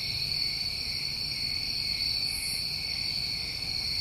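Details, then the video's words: Summertime crickets in New England at night form a steady, dense chorus of shrill, continuous trilling, with a brief higher-pitched shimmer midway. "Tinnitus Masking With Crickets"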